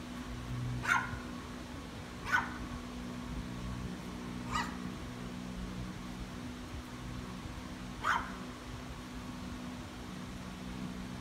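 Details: A Chihuahua gives four sharp, high yaps at uneven intervals over about eight seconds while barking at mallard ducks, over a steady low hum.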